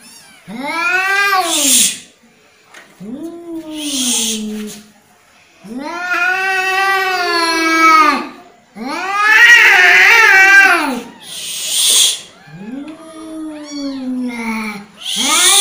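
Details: {'caption': 'Angry domestic cat giving a series of drawn-out, wavering yowls that rise and fall in pitch, separated by short breaks with harsh hissy bursts, indoors.'}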